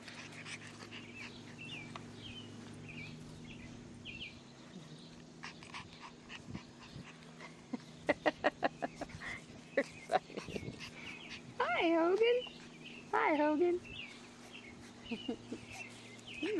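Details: Six-week-old English Bulldog puppies, a litter of boys, give high thin whines and squeals in short bursts, with two longer wavering cries near the end, over rustling, clicks and a steady low hum.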